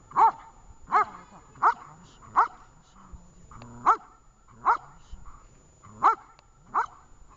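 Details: Dog during a training session in Horlivka on 20 July 2019: loud, sharp single barks repeated about every three quarters of a second, eight in all, with a faint low voice in a pause between them.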